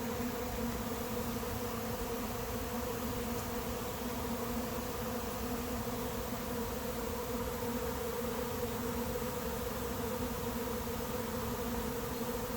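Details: Swarm of honey bees arriving late in the season at an empty hive, producing a continuous, uniform buzzing drone with layered steady hum tones from start to finish.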